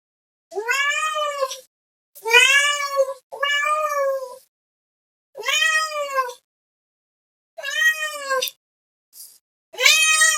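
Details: Kitten or cat meowing loudly to call another cat, a string of six arched, rising-then-falling meows about a second long, spaced unevenly, with a small squeak near the end.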